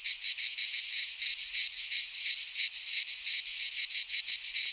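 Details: Cicadas singing in midsummer in a Greek pine forest: a dense, loud, buzzy chorus high in pitch, pulsing about three times a second with a steady unbroken drone beneath, no other sounds.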